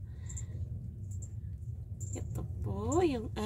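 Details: One of four rescued kittens, intently watching a cockroach it wants to catch, gives a single meow near the end that rises then falls. Quiet Tagalog speech comes before it, and a low hum runs underneath.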